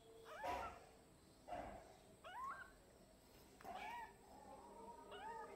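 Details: Twelve-day-old kitten mewing: thin, high, slightly arched mews about once a second, four clear calls with softer ones between, over a faint steady background hiss.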